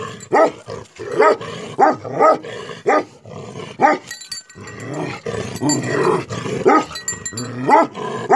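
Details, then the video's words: Angry Tibetan Mastiff barking repeatedly, with heavy barks roughly every half second to second over a dense, noisy background of rumble and hiss. "Angry dogs barking effect sound ||Tibetan Mastiff || Bhote Kukur"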